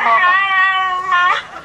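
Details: A dog giving one drawn-out, wavering, tuneful whine-howl in two swells, sliding slightly up and down like a sung phrase, while a person nearby coaxes it with repeated words.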